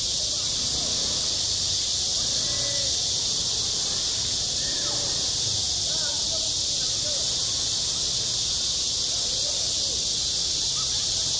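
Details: On a school sports ground in high summer, cicadas keep up a steady, shrill, hiss-like drone without pause, while scattered faint tonal chirps and distant voice-like sounds drift underneath.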